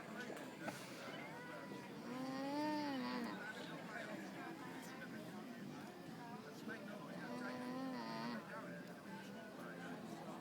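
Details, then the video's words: Alpacas at a countryside day event in Groningen hum softly to each other in two wavering, nasal tones over a steady background hiss. "Alpaca's communicating by making cute sounds"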